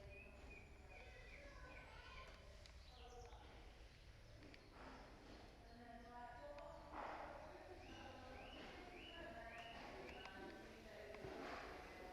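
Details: Chimpanzees at Twycross Zoo, including hairless Jambo, give quick rising hoots and squeaky tonal calls in rapid succession around feeding time.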